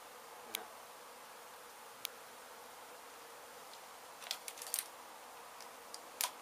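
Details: Honey bees from a hive struck by construction crews at an abandoned home being demolished in Mission, Texas, during a rescue and relocation. A steady, hissing swarm buzz runs throughout, broken by a few sharp clicks and knocks.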